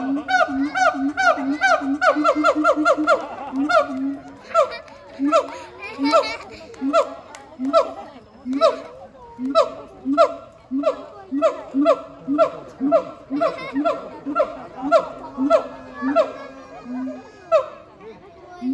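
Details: A siamang at Chiba Zoo gives loud, voice-like barks and whoops in a steady rhythmic series, its inflated throat sac amplifying the calls, which carry 3–4 km.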